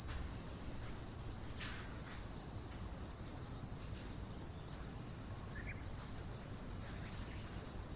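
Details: Autumn morning insect chorus, a continuous high-pitched buzzing shimmer at steady volume throughout, with no pauses and only faint low background rumble.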